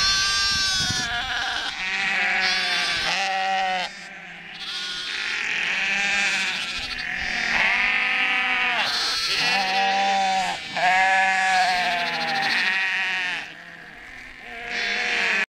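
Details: Sheep protest after their lambing groups were combined, a dense chorus of long quavering bleats from many animals, high and low voices overlapping continuously with brief dips between waves of calling.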